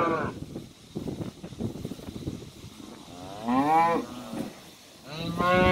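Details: Cows and calves going out to summer pasture on a farm; clattering hoofsteps and movement noise, then two moos, the first rising and falling in pitch, the second a shorter bellow at the close.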